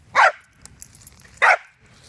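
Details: Corgi at stay and recall practice barking twice, short punchy barks about 1.3 seconds apart, with faint outdoor background noise between them.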